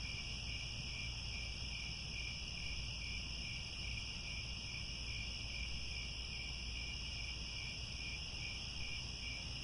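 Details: At sunset in Cambodian grasslands by Angkor Wat, crickets keep up a constant piercing trill in stacked high tones, unchanging in loudness, backed by a low environmental hum.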